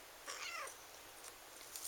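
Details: Eight-month-old female chocolate lynx bicolor Ragdoll kitten at a breeder in the Kingston area, Ontario, Canada, gives one brief, thin, high-pitched meow lasting under half a second, followed by quiet room sound and light handling noise.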